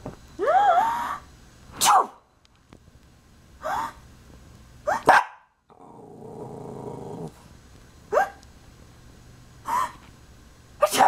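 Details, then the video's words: Pet dog reacting to human sneezes, a sound it fears though it ignores thunder and fireworks; sharp barks with whiny rising yelps come in bursts every couple of seconds, with a low rumbling growl in the middle. "Dog is scared of sneezes"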